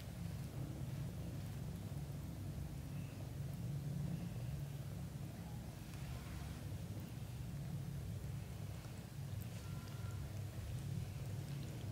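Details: Steady low rumble like engine or wind noise fills the recording, with faint scattered hiss above and no animal voices.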